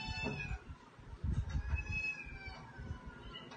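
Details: Domestic cats at home: faint, drawn-out harmonic meows rising and falling over low thumping and handling noise.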